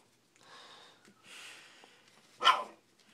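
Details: Shih Tzu puppies, four weeks old, eating and playing indoors; one short, sharp, high yip bark near the end after softer rustling and breathy sounds.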